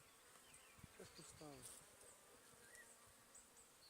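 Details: Honey bees of a wild swarm hanging on a tree, recorded in 2020, start moving onto newly placed wax foundation frames; a faint, low, harmonic buzz swells briefly near the middle against a quiet rustling background.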